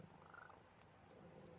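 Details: Buddy, a male pet cat described as a cuddle bug, purring while being cuddled: a low, steady rumbling purr with a faint pulsing rhythm, close to the microphone, with a soft higher hum briefly in the background.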